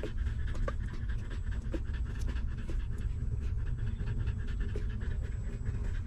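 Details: Hungry newborn stray puppy suckling milk from its caring mother, giving rapid rhythmic breathy pants and soft sucking pulses, several per second, over a steady low rumble.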